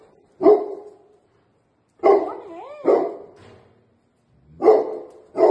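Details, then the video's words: Two Labrador Retrievers barking excitedly in greeting as their owner returns home after three days out of town; loud separate barks with a whining, wavering cry between them, about five bursts in under six seconds. "papa ke Ghar ane par kitne khush hai dono"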